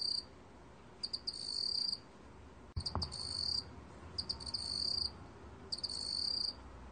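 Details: Meok-gwitturami cricket song, National Institute of Biological Resources, 2020. Four stuttering-then-steady high trills follow each other regularly, with one sharp knock in the middle.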